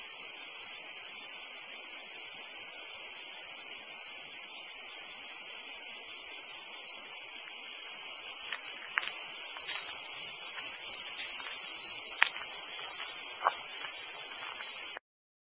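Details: Cicadas singing in a dense pine wood at Porto Cesareo, Italy, between Torre dell'Alto and Torre Uluzzo: a continuous, steady high buzzing drone with no breaks, plus a few faint clicks or rustles.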